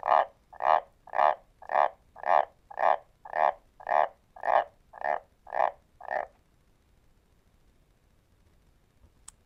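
A White's tree frog gives a series of deep, barking croaks, about two per second.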